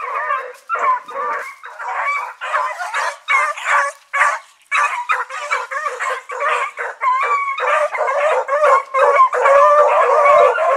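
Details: Evening run of the Blackreek dog pack, four dogs named Choco, Dino, Johnny Ringo and Mingo, August 2014: steady choppy chorus of overlapping barks and bawling howls, many short bursts each second, rising in strength toward the end.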